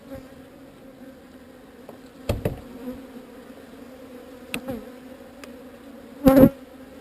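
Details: Relocated honey bee swarm producing a clear, steady buzzing hum in two stacked tones, interrupted by several sharp knocks and a loud handling thump near the close.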